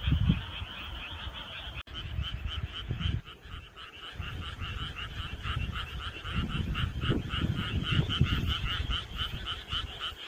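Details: Summer-night chorus of frogs, dense trains of fast, evenly pulsed croaks at two pitch levels continuing without pause, with a brief click early on and a low rumble underneath.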